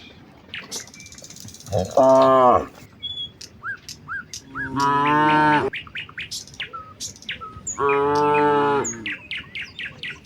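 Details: Herd of village cows heading to the fields in the morning, lowing to each other: three evenly spaced, rich moos about a second long each, with bright bird chirps and whistles filling the pauses.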